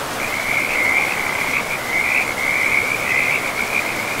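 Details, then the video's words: Frog calling deep in a pristine forest beside a river: a steady high trilled call runs almost unbroken through the clip, rising and falling slightly, over the constant broad rush of flowing water. "River and Frogs sleep sounds"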